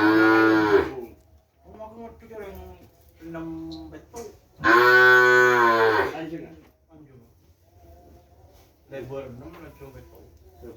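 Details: Kerapan racing cattle bred as racing stock, brought straight from Sapudi Island and kept at a private home: a loud harmonic moo at the start, a second long, full moo a few seconds later, with men talking between and after.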